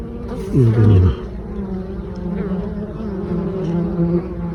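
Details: Honey bees bringing in mustard pollen on 9 October: one loud, falling buzz as a bee passes close early on, then a steady low hive hum.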